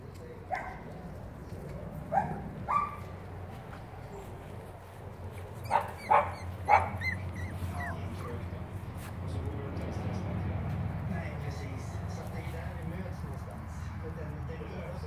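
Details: Five-week-old Cavalier King Charles Spaniel puppies from a black litter give a few sharp yelps in small clusters early on, then soft scattered whines over a low background rumble.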